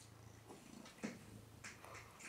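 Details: Woody, a pet cat, purring indoors while nipping during handling, his brother Tommy nearby; a soft, steady low rumble runs under faint rustles and brief handling noises.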